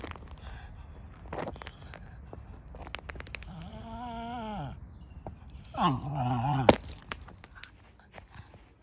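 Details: Ruby, a female Cairn Terrier, vocalizes in excitement before a walk. She gives two drawn-out, wavering, moaning yowls, the second louder and higher. Light shuffling and clicks are heard in the background.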